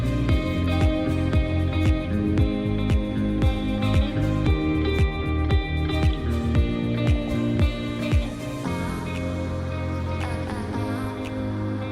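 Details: Plucked guitar music with steady rhythmic strums and a low bass line throughout, with no animal sounds.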